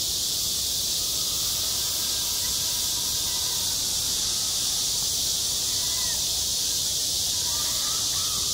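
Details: Cicadas drone at a school playground in the heat of summer, an even, high, hissing buzz that never pauses, with faint soft chirps near the end.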